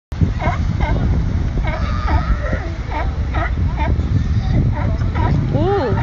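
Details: At San Diego, a fierce sea lion gives gruff, honking barks in quick bursts, some rising and falling in rough arcs, driving others off its spot; other sea lions, a steady low wash of surf and voices fill the background.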